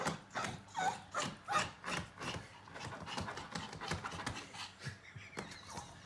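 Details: Yorkshire Terrier in heat panting indoors: quick breathy bursts, about two to three per second, fairly regular, with a faint human voice in the background.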